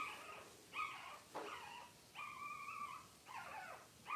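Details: Newborn Cavalier King Charles Spaniel puppies from September 2022 litters, watched over with their mothers: a run of about five high, tonal, whining squeals, each under a second long, some bending up then down, separated by short quiet gaps.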